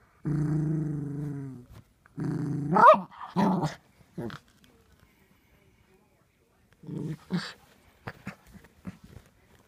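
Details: Brody, a six-month-old Miniature Poodle puppy, growls during peek-a-boo: a steady low growl, then a louder one swelling into a rising whine, later a short growl and light tapping sounds.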